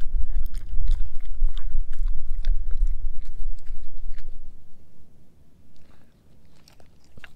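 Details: German Shepherd mix named Edu eating a dehydrated pig ear dog chew; loud, dense wet chewing and crunching for about four seconds, then fading to softer, sparse bites and quiet smacking.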